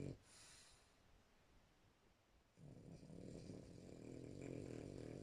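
A French Bulldog snores with a low, rough, rumbling rasp after a brief quiet start.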